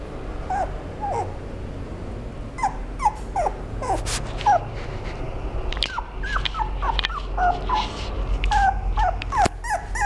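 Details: Toy Poodle giving a run of short, high whining whimpers and yips, each a quick rising then falling squeal, coming in clusters with brief pauses, over a low indoor hum and occasional clicks.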